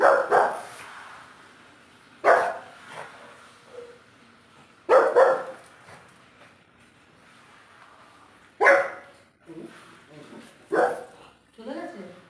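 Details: Small house dog barking to drive a cat away indoors in a Bengali-speaking home; five sharp, loud barks spaced two to three seconds apart, with people urging it on between them.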